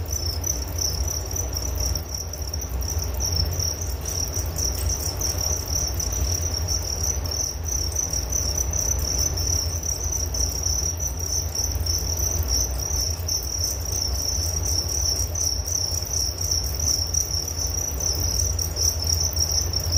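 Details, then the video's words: Sleep-aid cricket sounds: an unbroken shrill trill of rapid chirps holds steady from start to finish, backed by a soft, constant low-frequency rumble. "Relaksasi Suara Jangkrik Penghantar tidur || Nature Sound of Crickets"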